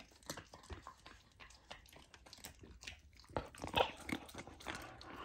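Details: Golden retriever puppy trying raw lamb for the first time as part of its raw diet: louder crunchy bites and wet chomping, sharp crunches clustering toward the end.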